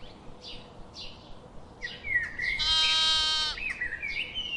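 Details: Sheep giving one high, quavering bleat of about a second, with short chirps of small birds before and after it.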